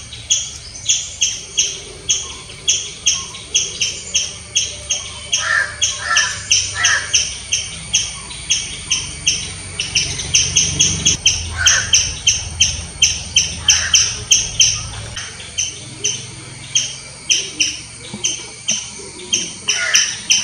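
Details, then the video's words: Squirrel giving loud chirping calls: sharp, high, clipped chirps repeated steadily about three times a second for twenty seconds, with a few softer lower-pitched sounds and faint low rumble underneath. "Squirrel chirping sounds. Loud squirrel noise."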